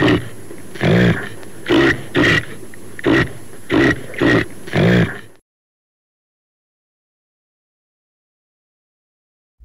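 Rough, throaty grunts from a caribou come in a quick run, each a brief nasal burst repeated roughly twice a second. After about five seconds the calling stops and the rest is quiet.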